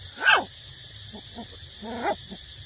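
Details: Eight-week-old puppies being nursed by their mother; a loud descending whine, then soft short squeaks and a second wavering whine, over a low steady hum.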